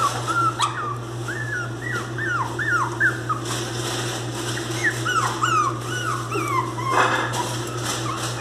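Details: Crying Miniature Pinscher puppy, described as fierce and crying very loudly: a long series of high, falling whimpers, repeated about twice a second in quick bursts, over a constant low hum and occasional sharp clicks.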